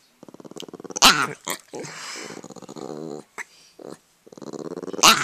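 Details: Italian greyhound growling indoors, acting aggressive toward its owner; pulsed rasping growls in several bursts with short gaps, a sharp snap-like outburst near the start and end.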